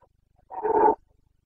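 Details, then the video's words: Stag of the Carpathian red deer roaring in the breeding season in the Bucovina mountains, 29 September 2022: one loud, gravelly, half-second bellow that swells and then stops abruptly, with silence around it. "Boncănit / Carpathian stag Breeding season"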